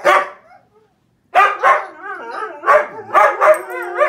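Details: Husky howling at the television with a German Shepherd nearby: one opening yelp, a pause, then a run of warbling, wavering howls and yodel-like rising and falling tones in quick succession.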